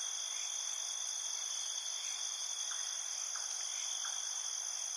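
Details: A dense night chorus of crickets in a field, steady high-pitched trilling bands layered over one another.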